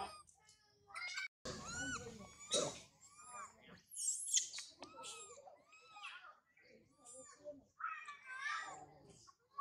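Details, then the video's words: Baby girl monkey Sario, a pet, cries hard from hunger: high, arching squeals and whimpers in irregular bursts, with broken pauses between outbursts and some nearby voices. "Baby girl monkey Sario crying very much after hungry"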